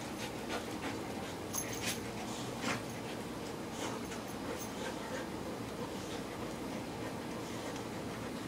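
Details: A visiting English Sheepdog and a chocolate Labrador Retriever wrestling in play. Their breathy panting and scuffling come in short irregular bursts, some sharper clicks mixed in, all over a constant noisy background.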